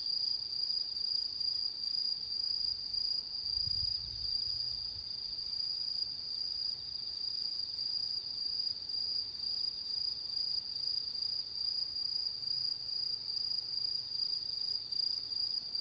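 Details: Autumn insects calling on the night of the harvest full moon, 10 September 2022: a continuous, steady high-pitched trill holds unbroken throughout, with a fainter rapidly pulsing chorus layered above it and a quiet background.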